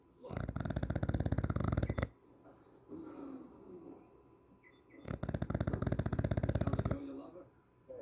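An English bulldog snores loudly, with rattling, fluttering bursts on each breath.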